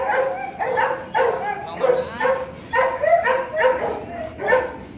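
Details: Male Rottweiler Loki, nearly two and a half years old, at Gervi Kennel, being played with: a run of moaning, harmonic whine-like notes, roughly one per half second, uneven in pitch, with little else in the background.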